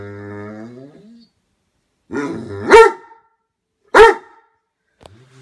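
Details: Great Dane barking out of jealousy toward his brother dog: a person's drawn-out call first, then two loud, harsh barks with a rough, growly edge about a second apart, and a faint trailing sound at the end.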